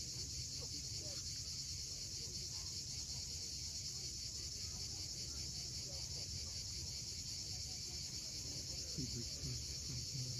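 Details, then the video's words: Sunset chorus of cicadas at Cape Fiolent, Crimea, on a steep seaside coast: an even, high, hissing buzz that never pauses dominates, with soft wave rumble below and faint scattered bird sounds. "Cicadas at sunset."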